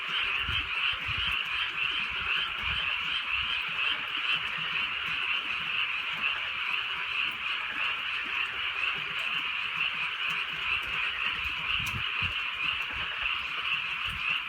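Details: Numerous frogs calling through a drizzly rural night, a thick, unbroken chorus of bright rattling croaks, with scattered soft rain sounds lower down.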